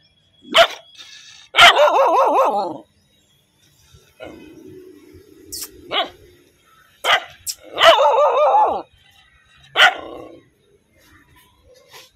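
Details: Angry dog barking and growling loudly: sharp single barks alternating with longer rough, wavering growl-barks, plus a low drawn-out rumble in the middle.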